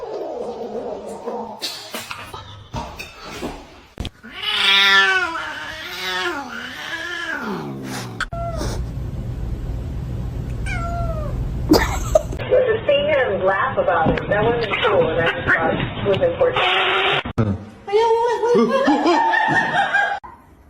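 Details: Domestic cat giving drawn-out wavering meows and caterwauls, some rising and falling, mixed with music, people talking and laughter.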